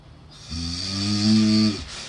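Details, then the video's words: Sleeping cat snoring: a single drawn-out snore lasting over a second, a low buzzy harmonic-rich rumble with a hissy breath on top, swelling slightly before cutting off, in a quiet indoor setting. "Weird cat snoring sounds are too funny"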